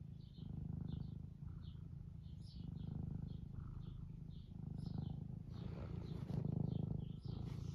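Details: Eric, an 11-year-old semi long-haired domestic tabby living in the UK, purring contentedly while stroked; loud low rumble in regular pulses, rising and falling with each breath about every second, light chirpy background sounds.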